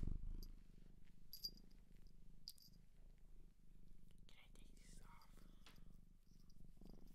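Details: Shelter-adopted cat in Japan purring close up: a steady low rumbling pulse, about four beats a second, with faint rustles, soft clicks and brief whispered sounds near the middle.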